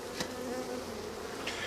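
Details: During a June 13, 2024 hive inspection, with frames full of bees being smoked and some bees defensive, a dense, steady honey bee hum drones with layered overtones, broken by two brief sharp clicks of equipment.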